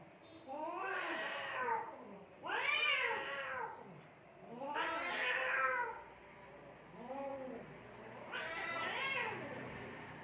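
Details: Fighting cats in Assam, India, giving repeated arched caterwauls roughly every two seconds, each rising then dropping in pitch, with a softer shorter yowl near the end.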